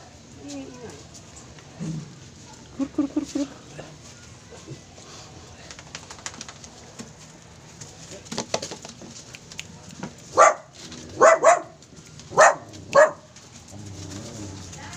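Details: Poodle kept as a pet, barking: after scattered soft sounds and voices, five loud, sharp barks come in a burst near the end, spaced about half a second to a second apart, over a low steady hum.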